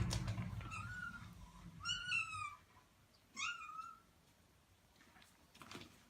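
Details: Rescued black kitten, its voice at first hoarse, meowing indoors: three short harmonic meows, the middle two slightly rising then falling, spaced about a second apart, with low room rumble at the start.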